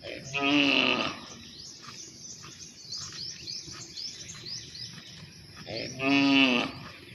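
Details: Cow calling partners to mate: two short harmonic moos, one at the start and one near the end, with high chirping birds heard faintly in between.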